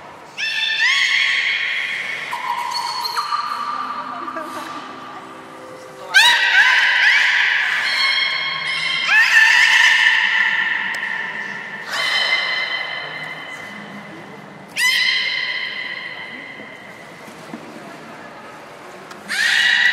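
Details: Training session of belugas Gray, Nana and Niko at Port of Nagoya Public Aquarium on January 1, 2019, after the 16:00 public show; repeated bursts of bright whistles with rising onsets, separated by softer lower tones, about every three seconds.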